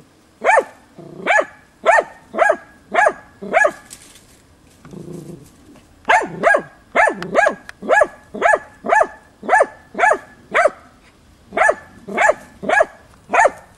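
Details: Tina, a boar-training hunting dog, stubbornly barks at young wild boar on 6 March 2013; a run of sharp barks, a two-second lull with a low grunting sound, then a long rapid series of barks around two per second.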